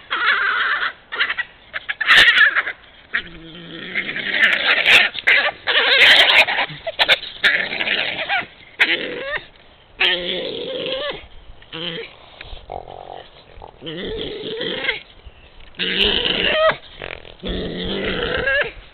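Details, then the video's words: Badgers quarrelling in Puszcza Zielonka forest, Poland, on 11 March 2022: a long run of harsh, noisy squeals and chattering screams in dense bursts with short gaps, loudest in the first half, then broken into separate outbursts. "Kłótnia borsuków. Puszcza Zielonka. Badgers quarrel."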